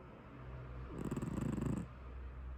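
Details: Tabby domestic cat snoring in its sleep, one low, throbbing, rattly breath lasting under a second over a steady soft background hum.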